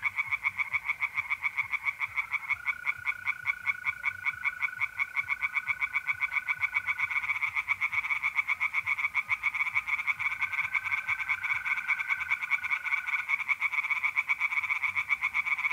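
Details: An April night at a pond in north-east Italy, where tree frogs keep up a dense, unbroken run of rapid rasping pulses, while trilling mole crickets add two long, steady buzzing stretches in the background.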